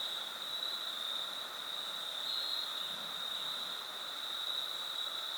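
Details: Crickets along the Foothills Trail near the Horsepasture River and Hilliard Falls on a fall 2022 thru hike, a steady unbroken high trill droning throughout with a fainter lower band beneath.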